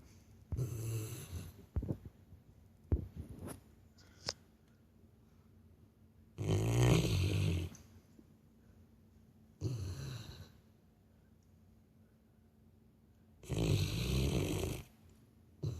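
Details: Labrador Retriever snoring in its sleep, sounding like a person: a steady run of gravelly, low snores, each lasting about a second, repeating every three to four seconds in a quiet room.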